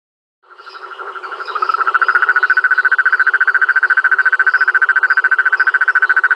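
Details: Rhinella ornata toad calling at Rio Claro Farm: a long, steady pulsed trill of rapid, evenly spaced notes with a buzzy mid-pitched tone. It starts softly and swells to full strength after about two seconds.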